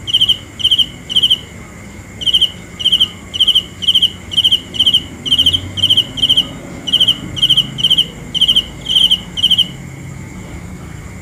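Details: Nighttime cricket chirps, piercing and high, each a rapid burst of pulses, repeated about twice a second with one brief break, then ending and leaving a faint hiss.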